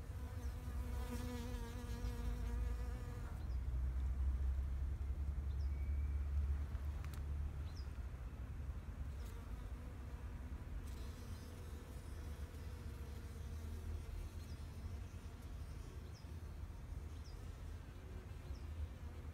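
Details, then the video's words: Bees in a spring flower garden in Japan, 2021: a close, droning buzz with a rich harmonic hum for the first three seconds, then fainter buzzing passes drifting in and out over a steady low rumble. "Sound of Bees in flower garden"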